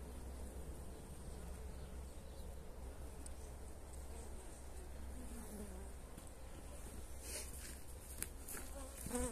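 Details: Honey bees being fed energy cakes on 29 January in very pleasant weather; a steady low hum of buzzing wings drones on throughout, with a strong low rumble underneath and a few faint clicks near the end.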